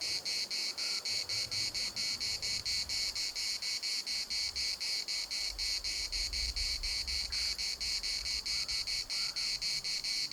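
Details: At the municipal park in Larnaca, cicadas keep up a dense, rasping pulsed drone, beats coming about twice a second, while gusts of wind rumble underneath and a brief faint bird note sounds.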